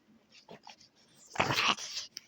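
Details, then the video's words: Kamila, a female French Bulldog indoors, struggling to express what she wants: a few soft snuffles, then a loud, rough, breathy grumbling burst lasting about a third of a second, ending with a brief click. "Kamila no se sabe expresar muy bien"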